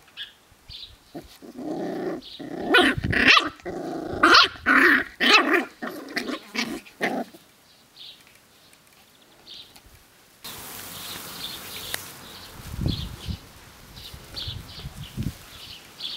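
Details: Seven-week-old Sealyham Terrier puppies romping together on a hot summer day at a kennel; a rapid run of high yappy barks and growls for about seven seconds, then quieter scuffling with occasional soft yips and birdsong behind.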